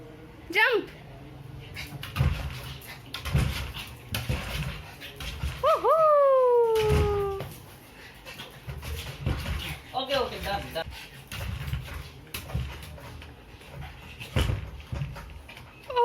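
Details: Pug puppy Lucy lets out a short whimper at the start and later one long, clear whine that falls slowly in pitch over about a second and a half. Indoor knocks and handling noises run throughout.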